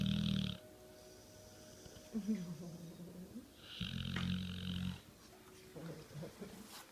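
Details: Zeus, a dog, snoring while awake: low rumbling snorts in bursts about two seconds apart, with a woman's soft voice asking if he is a sleepy puppy.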